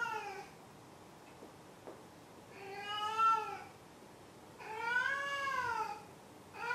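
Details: Domestic cat meowing indoors: three drawn-out, arching meows with rich harmonics, each rising then falling, spaced about two seconds apart, with quiet room background between calls.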